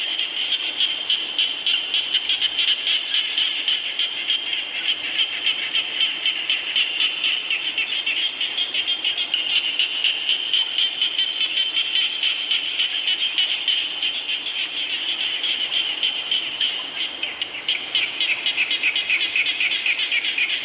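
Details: Frogs calling in the rain, a dense chorus of short, bright pulsed croaks repeating about four times a second, steady and overlapping, with a continuous high hiss beneath, slightly thinning near the end.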